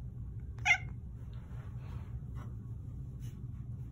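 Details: A Manx cat trained to meow on command at the cue "more?" gives one short, clear meow when asked if he wants more pets, over a steady low household hum.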